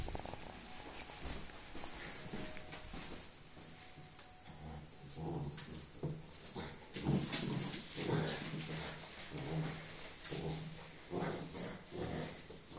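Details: Puppies fighting over a sock: after about four quiet seconds, low rumbling growls and short grunts arrive in uneven bursts, roughly one per second, rising and falling in loudness until the end.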